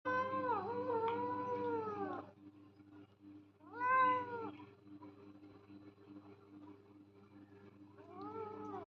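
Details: Domestic cat meowing indoors: a drawn-out wavering meow, a shorter rising-falling one about two seconds later, and a faint final meow, all over a steady low mechanical hum.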